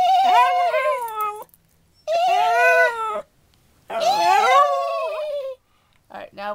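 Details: A 2-year-old female West Highland White Terrier gives long, wavering howls, each sliding downward and trailing off; she ignores dog howls and howls only in reply to horse sounds made by her owners.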